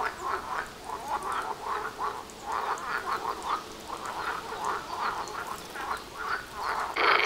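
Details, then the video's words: Dense frog chorus outside a house, audible about 800 metres away: overlapping croaking calls repeating in rapid bursts, pulsing rhythmically, with a brief harsher noise at the very end. "Froschkonzert vor der Haustüre"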